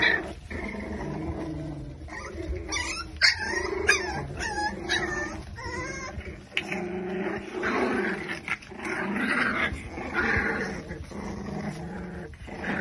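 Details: Five-week-old Exotic Micro Bully puppies from one litter in Buffalo, New York, give a steady stream of thin, quavering whimpers and short yips, several pups crying at once over a constant background hum.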